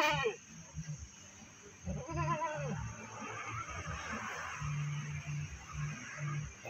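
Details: Goat brought to the Pakis livestock market near Malang, giving one wavering, nasal bleat about half a second long amid crowd chatter and a steady low mechanical hum.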